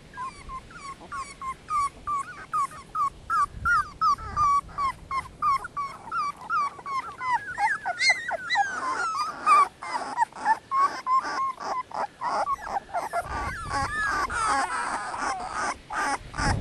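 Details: Several 18-day-old Dogo Canario puppies crying together: quick regular series of short high whimpers, later turning denser and louder with wavering squeals and scuffling noises.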